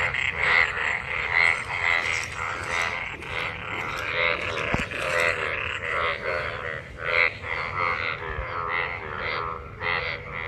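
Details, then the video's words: Many frogs calling after monsoon rain in rain-gathered water while mating; a dense chorus of harsh, pulsed croaks overlapping continuously, with bright buzzy notes repeating roughly every half second. "Frog Sounds after monsoon rain,Sounds of toad Croak croak ! frog mating and love in rain"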